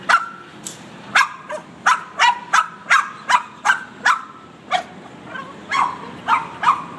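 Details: Excited Boston Terrier in a car reacting to the windshield cleaner, letting out rapid, choppy barks and yips in quick bursts, some clustered closely, with a short lull midway.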